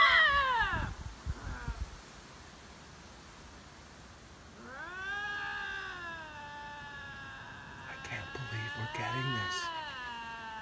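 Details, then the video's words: Paired lynxes facing off, perhaps disputing territory: a brief high quavering cry at the start, a pause, then a long, steady, moaning yowl with a slowly wavering pitch, overlapped near the end by a second, raspier voice. "Así son los extraños gritos de dos linces enfrentados"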